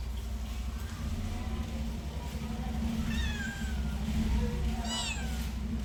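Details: A cat's drawn-out descending meow followed by a sharper, higher cry a second or so later, set against a droning low-pitched hum.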